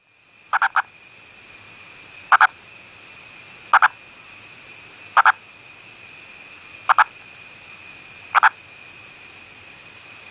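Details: An Indian purple frog (Nasikabatrachus sahyadrensis) of India's Western Ghats gives short, hoarse clucking calls in quick double or triple bursts every second or two.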